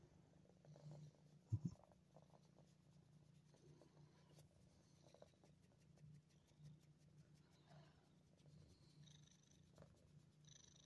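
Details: A 9-month-old female cat named Gracie purrs in a steady, low, continuous rumble, with one brief knock near the start; recorded 28 December 2022 in Ottawa, Canada.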